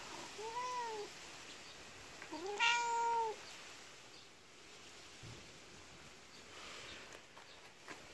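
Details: A cat gives two meows, a short arched one followed by a louder, longer meow with rich harmonics that bends up and then down, over a soft hiss of background noise.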